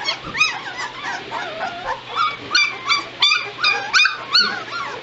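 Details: Two-week-old White Shepherd puppies of a litter, recorded 22 November 2016: high, arching whimpers and squeaky yips, each bending up then down, repeated about three times a second in uneven bursts over a faint steady hum.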